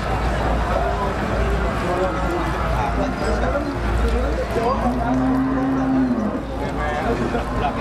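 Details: Cattle mooing at a cattle market in Jatirogo, East Java, on 18 May 2018; one drawn-out, steady low moo of about a second rises above a constant din of crowd chatter and market noise.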